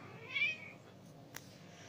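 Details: Female Persian cat named Diana, in heat and ready to mate, gives a single short rising meow, after which only faint room hiss remains.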